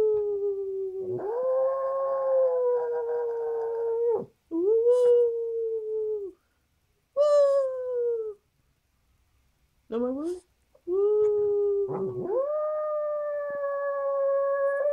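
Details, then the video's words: Peppi, a male pet dog, howls in excitement over a favourite doggy snack while his owner howls along; long sustained mid-pitched howls, some held steady, others sliding down, separated by short pauses and a brief sharp yelp. "Peppi Howls for Delicious Treat!"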